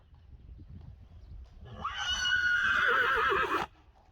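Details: Friesian horse brought back inside in the morning after the herd's first night sleeping outside, wanting to follow the other horses in; a loud, shrill whinny lasting about two seconds with a quavering, wavering end, after faint shuffling and hoof noise.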